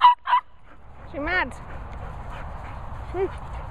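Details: Noisy Nala the Border Terrier greeting Cocker Spaniels Finlay and Murphy: two sharp barks, then a wavering, whine-like yowl after a short pause, and a brief second whimper against a low background rumble.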